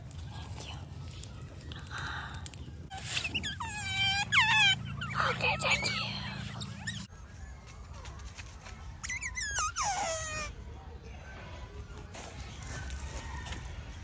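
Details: Wild otter giving two bursts of rapid, high squeaks, each a quick downward slide repeated many times, separated by a quieter stretch with steady low rumble and outdoor background noise.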